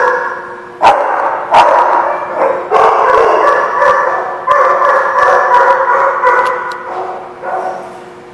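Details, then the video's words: Barking from the dogs of The Barking Lot on 10/21/16: sharp individual barks open the stretch, then a steady din of overlapping yips and barks carries through before fading slightly at the end. "The Barking Lot"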